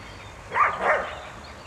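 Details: Groenendael, one of three walking with a Border Collie on 3 May 2012; two quick barks in close succession, sharp and mid-pitched, over faint outdoor background noise.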